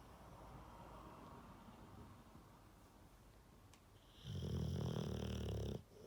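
A sleeping Rottweiler gives one loud, rumbling snore after a few seconds of quiet breathing.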